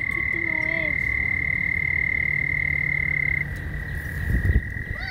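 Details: Frogs calling while mating keep up a constant high trill. A few sliding whistle-like calls come early, then a brief burst of low thumping noise near the end.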